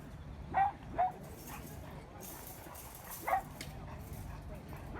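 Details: Dog backstage at a dog show among exotic breeds: three short, sharp barks, two in quick succession and then one more after a pause of about two seconds, over a low murmur of people and indoor hall noise.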